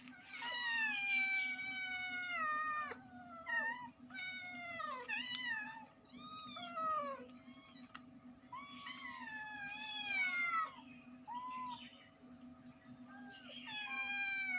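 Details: A cat with kittens meowing loudly, a dense run of overlapping meows, some drawn out and wavering, others short and arched in pitch, continuing almost without pause over a faint steady hum.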